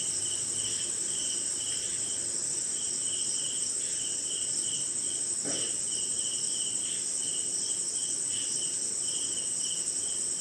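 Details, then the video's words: Crickets and other insects calling through a rainy Indian night: a ceaseless high-pitched ringing trill, a lower pulsed chirp in short irregular runs, and a brief soft knock midway. "Cricket & Swamp! Forest Sound"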